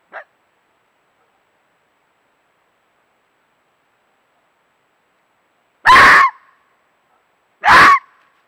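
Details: On 1 November 2018 in Bulgaria, a fox stops in front of a glowing camera and gives two loud, harsh, barking calls, each a brief hoarse yelp about two seconds apart.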